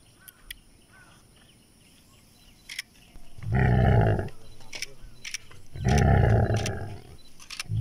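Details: Royal Bengal tiger at a safari park in Gazipur, Bangladesh: two deep, rough roars about two seconds apart, each lasting nearly a second, with people talking and faint clicks nearby.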